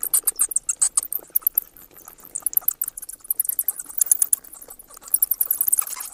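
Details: Clusters of piercing high bat squeaks and clicks come in quick runs. A busy opening second gives way to a quieter stretch before renewed chattering bursts.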